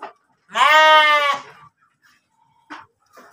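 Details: Pregnant kacang goat kept in a pen at Tanjungjaya, Cipunagara, Subang, Indonesia, giving one loud, strongly harmonic bleat about a second long, with a wavering tone. A few faint short noises follow.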